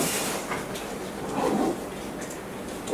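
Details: Broadband rumbling noise swells and fades, with no animal call standing out.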